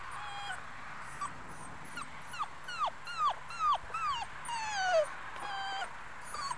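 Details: Five-week-old Muscle Mastiff pup, a future breeding prospect named Batista, whimpering in a string of high, thin descending whines, some sliding down sharply, others drawn out, with a low steady hum underneath.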